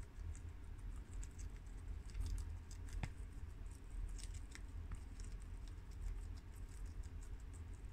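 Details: Four pet guinea pigs, Shiro, Crash, Cookie and Peanut, eating freshly washed garden romaine lettuce indoors: continuous soft crunchy chewing and rustling, with quick crisp bites scattered throughout and low rumbling handling noise.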